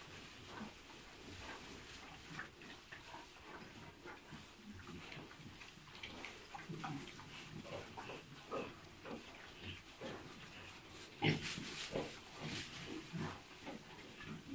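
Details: Hybrid piglets three months old, bred from a Landrace sow and a Pietrain boar, make irregular short grunts and snorts. Clicks and shuffling noises run throughout, with a sharp louder burst late on.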